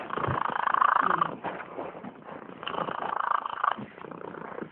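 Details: Domestic cat snoring in its sleep: two long raspy, fluttering breaths, each lasting over a second, separated by quieter gaps, with a rapid vibrating texture through each breath.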